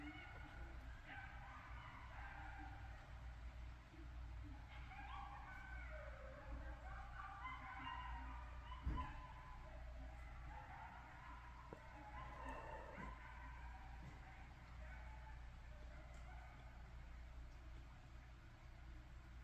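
A group of coyotes howls and yips together, wavering high-pitched voices overlapping in a chorus.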